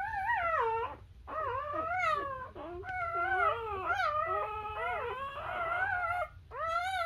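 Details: Several newborn Labrador Retriever puppies nursing on their mother cry in loud, overlapping, high, wavering whines that swoop up and down almost continuously, with a brief lull partway through.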